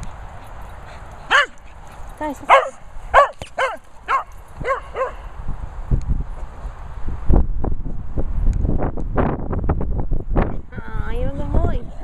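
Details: Cocker Spaniel barking while retrieving: about six sharp, rising-falling barks spaced roughly half a second to a second apart in the first five seconds, then rustling, thumps and handling noise with a brief whine near the end.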